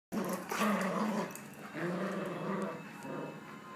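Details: Dogs, an Alaskan Malamute and a Jack Russell, playing tug of war with a rope; low, rumbling growls with a harmonic tone come in two long bursts, the first louder, then a steadier stretch.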